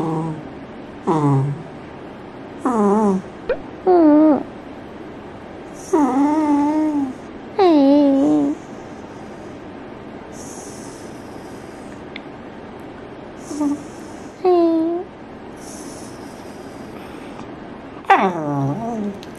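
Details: Female Pembroke Welsh Corgi, adopted at an estimated four years old, kept indoors as a pet, 'talks' with human-like intonation: a series of drawn-out, wavering moaning whines, some rising then falling, in separate bursts with pauses in a quiet room.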